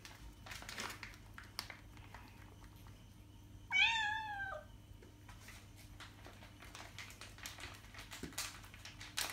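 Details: Cat sound meant to entice cats: a single sharp falling meow midway, surrounded by clattering, tapping and rustling noises and a low hum.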